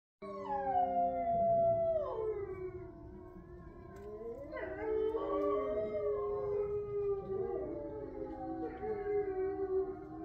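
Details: 8 resident grey wolves howl together at a sanctuary in Ipswich, Massachusetts, on a full-moon night, 27 November 2023, long sliding tones overlapping in a wavering chorus.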